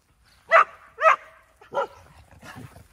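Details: Excited dog on a training field at a dog school in Yangpyeong, South Korea, on the morning of 2 October; two sharp loud barks half a second apart, then a softer third bark and quieter yips fading out.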